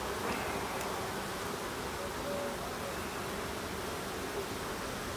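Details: Hive opened for an end-of-summer inspection, 22 September: honey bees give an even, continuous buzzing drone, soft and unbroken, with brief thin tones from bees flying close.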